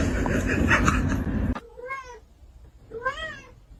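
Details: Cat meowing twice indoors, each a short rising-then-falling mew about a second apart, after a burst of loud noise; otherwise quiet room.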